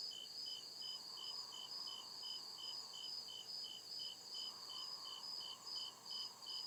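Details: Nighttime forest crickets give rapid, evenly spaced high chirps, roughly two or three each second, layered over a continuous shrill buzz and a faint, rising and falling hum.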